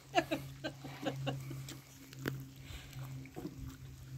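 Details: Labrador Retriever puppies getting louder at feeding time: a quick run of short, high squeaks and whimpers in the first second, then scattered softer squeals over a steady low hum.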